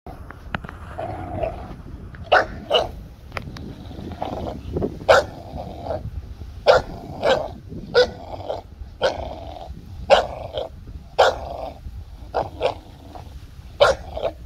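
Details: Two dogs, a 5-month-old American Bully puppy and a 2-year-old Golden Retriever, playing tug of war: continuous low rumbling growls broken by sharp short barks or yelps roughly every second.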